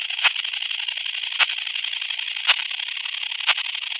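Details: Common sickle bush-cricket (Phaneroptera falcata) singing at Scheyern, Germany, on 1 October 2020, made audible through a Pettersson D 100 ultrasound detector: sharp single ticks roughly once a second over a steady hissing band.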